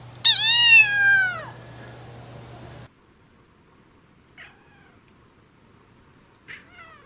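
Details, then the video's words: Domestic cat at home giving one loud, high, falling meow, followed by two faint short calls in a quiet room; a person offers dinner nearby. "Funny Cat Sounds Compilation"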